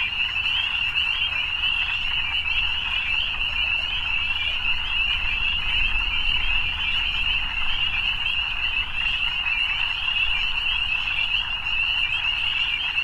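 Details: Evening frog chorus, a continuous high buzzing trill from many callers at once, accompanied by a more noticeable deep low rumble in the background.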